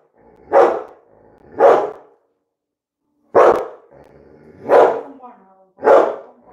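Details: Labrador Retriever named Coco barking repeatedly at home during a live stream while being scolded in Bengali; five sharp barks, roughly one every 1 to 1.5 seconds with a pause in the middle, over a faint background hum.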